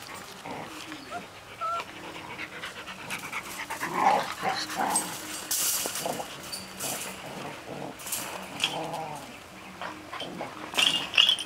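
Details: Six-week-old Golden Retriever puppies from one litter, confined in a cage, give soft whines, squeaks and snuffling sounds in irregular bursts.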